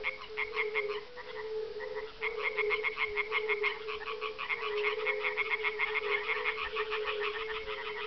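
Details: Male European tree frogs give loud, tinny, rapid 'äpp-äpp-äpp' mating calls at dusk on 30 May 2011. From leaves or floating among reeds they answer each other over a low drone of fire-bellied toads at a farmland kettle-hole pond near Parstein, northeast of Berlin.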